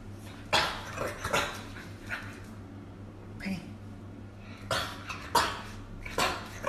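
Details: An angry dog gives short, rough, broadband barks and huffs, scattered irregularly over several seconds above a steady background hum.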